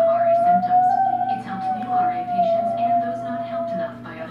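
An Italian Greyhound howls in one long, sustained tone, fairly even in pitch with slight wavering rises and dips. Television talk murmurs in the background throughout.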